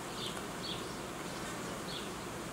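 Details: Apiary honey bees buzzing while colonies are united and young queens introduced. An unbroken hum holds throughout, marked by a few soft high chirps spaced about half a second to a second apart.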